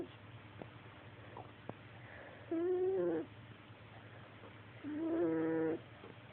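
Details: Tiger snoring: two drawn-out, nasal, tonal snores, each under a second, about two and a half seconds apart, with quiet pauses and faint clicks between them.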